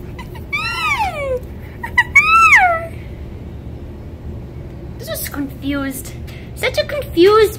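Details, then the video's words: Winter, a female red fox rescued from a fur farm in November 2019, whines as she learns to trust: two loud, drawn-out whines arching up then sliding down, then quieter low and high whimpers. "Winter the Fox Talks"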